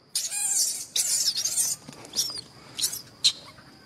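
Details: Pampered young macaque whistling angrily when he disagrees: shrill, high-pitched squealing whistles in two long bursts of about a second each, followed by several shorter sharp squeaks, with a steady faint high tone in the background.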